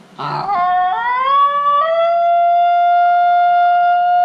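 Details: Basenji dog yodelling: a short rough onset, then a clear tonal note that climbs in steps and settles into a long, steady, pure held tone with strong harmonics, lasting several seconds.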